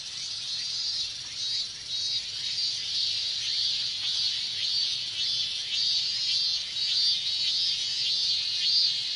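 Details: Summer chorus of minmin cicadas in Japan: overlapping shrill buzzing with a regular pulsing rhythm, roughly two beats each second, holding steady across the whole stretch.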